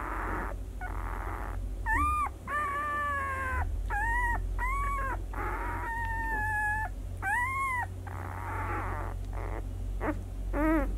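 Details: White Swiss Shepherd puppies aged six days, Sienna / Valentino 2019, squealing in a run of clear, arched whines, some long and flat, others short and bent, separated by brief pauses, steady low hum beneath.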